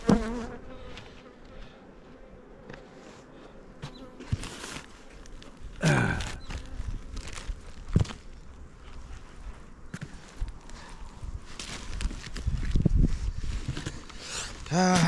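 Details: Low droning hum of kept honey bees around an opened hive box in the Jirisan mountains of Korea, steady through the recording, broken by wooden clunks, scraping and handling noises.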